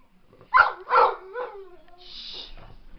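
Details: Pit bull at home reacting to a dog on television with two quick barks about half a second apart, then a soft hiss and near quiet.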